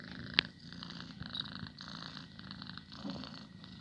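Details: Purring pet cat, a close low vibrating rumble with breathy higher texture, broken by one sharp click near the start.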